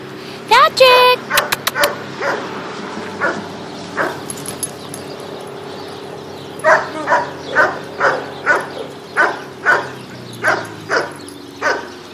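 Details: Bichon Frise poodle mix at an adoption centre, playing with a ball; a few high yelps early on, then a steady run of short sharp barks roughly every half second, with a person's voice coaxing nearby.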